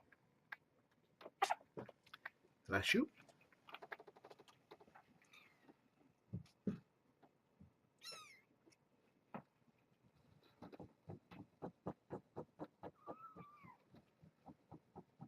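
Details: Kittens with their mother Janine, a brown tabby, indoors at the Purrfect Pals shelter in Washington, playing and bathing paws; a couple of thin, high, wavering mews rise and fall among thumps, scuffling paws and soft human voices.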